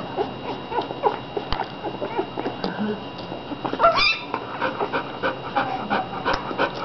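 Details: A litter of 15 American Bulldog puppies, eating and sleeping, making many overlapping soft whimpers and squeaks, with a clearer rising squeal near the middle.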